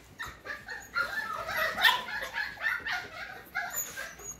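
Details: F1 cockapoo puppies, the pups of a Cocker Spaniel mother and a miniature poodle father, make quick, high yips and whines, several per second. The cries blend into a continuous squeaky chorus that peaks near two seconds.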